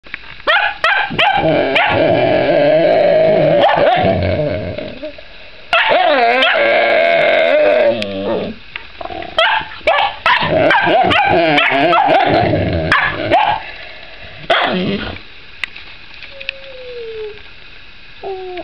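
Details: Puppy named Bob Barker, a pet dog, barking repeatedly at another dog, Koda, while she chews a rawhide; sharp rapid barks mixed with long whining, wavering yowls, several bursts with short pauses, ending in quieter thin whines.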